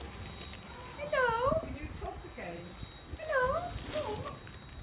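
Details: Dog making a strange noise, first taken for an exotic bird: two drawn-out, wavering harmonic cries about two seconds apart, each rising and then falling, over low background rumble and faint voices.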